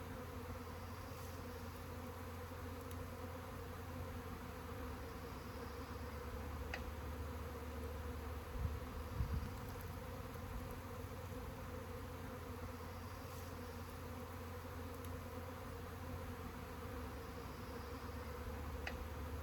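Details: Honey bee swarm humming: an unbroken, level drone with a low hum beneath, a brief cluster of bumps near the middle and a few faint ticks.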